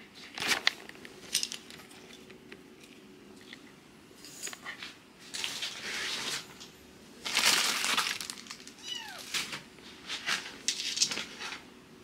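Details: Fostered rescue kittens, a sister and brother taken in for emergency care in Japan, during litter-box training; several high thin meows with falling harmonics around the middle and later seconds, mixed with rustling and handling noises indoors.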